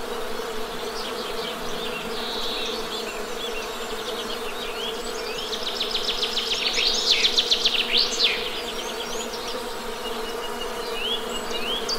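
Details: Honey bee drone hums steadily underneath while a bird's rapid high trilling song swells loudly in the middle and then fades, with other short chirps around it.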